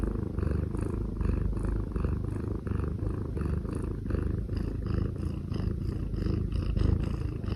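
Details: A kitten snores steadily in a low, continuous, rumbling drone with a faint fluttering texture and no pauses, close and even in loudness throughout.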